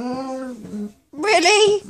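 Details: Boo, a Bernese Mountain Dog, talking indoors: a steady, drawn-out tonal moan that drops slightly, a short pause, then a louder wavering, warbling howl-like phrase with rich overtones.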